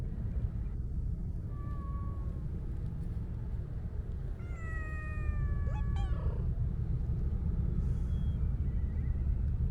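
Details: Stray Siamese mix cat being stroked gives a short meow, then a longer drawn-out steady meow followed by a few brief clicks and a soft faint cry, all against steady low-pitched background rumble.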